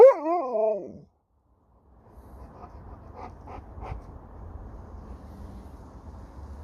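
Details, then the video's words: Alaskan Malamute Sherpa giving a brief wavering, warbling moan that wobbles up and down and trails off, followed by quiet room hum and faint voices. "Dog won't let me Finish a Sentence without Talking Back!"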